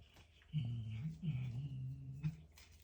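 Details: Indoors, a cat chewing on a grasshopper makes a low, wavering growl that rises and falls in three quick pulses over about two seconds, a funny grumbling noise over a quiet room.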